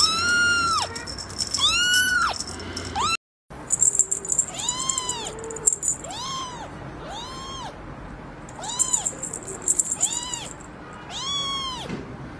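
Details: Baby cat producing a steady run of about nine short, arched mews after an abrupt cut, with a buzzing high tone and rattling noises underneath.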